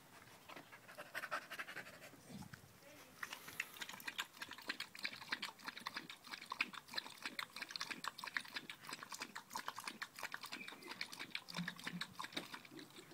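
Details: Danco, a dog clinging to a leg on 05.08.2013 while a new Malinois puppy, Amy, arrives, pants loudly: fast breathy rasps in a dense, steady train across the whole stretch, with brief background rustling.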